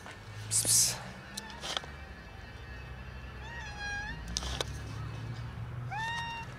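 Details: Domestic cat meowing as a huge white cat raids it; two clear arched, harmonic meows, a longer falling one midway and a rising-then-level one near the end, over low rumbling background and brief rustling bursts.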